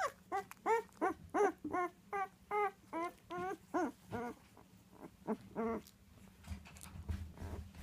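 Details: Labrador retriever puppies, nine days old with eyes still closed, from a litter of five bred as future assistance dogs; a run of short, high whimpering cries repeated roughly every half second, fading into quieter shuffling.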